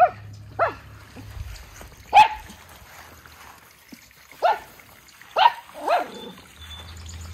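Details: Miniature Schnauzer puppy brothers, white-coated, in Aroostook County, Maine, taking a break from sentry duty. Six short, scattered barks come at uneven gaps, some in close pairs, over a faint low hum.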